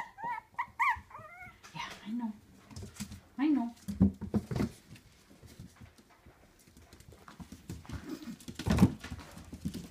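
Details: Fiona's puppies give thin, high, wavering whimper squeaks in quick bursts near the start, then fainter whines among human speech and soft indoor handling noises.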